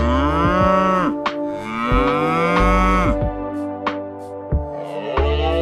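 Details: Cow mooing in long, deep, drawn-out bellows, three or four moos in a row, each steady then falling at the end, with short clicking and knocking noises between them.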